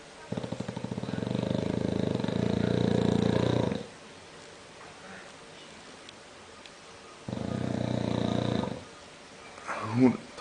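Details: A bulldog's frightening snores: a long, rasping, pulsing snore lasting over three seconds, a quiet gap, then a shorter rattling snore, ending with a brief higher snort.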